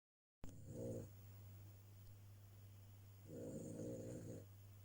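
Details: Cavalier King Charles Spaniel named Ria snoring while asleep, recorded because the snoring is loud: two low rasping, rattling snores about two seconds apart over a steady low hum.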